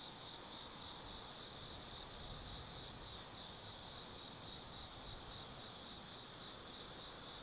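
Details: Autumn night insect chorus in the forest of Tsukimi no Mori, Gifu Prefecture, Japan, overlooking the Nobi Plain: soft continuous high trill with gentle rhythmic pulses growing slightly louder toward the end, faint low rumble behind.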